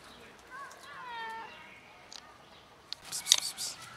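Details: Mother cat with two kittens in a safe garden: two or three clear, high meows, each bending upward and then falling, fill the first second and a half, followed by quiet and then sharp rustling and clicking noises near the end.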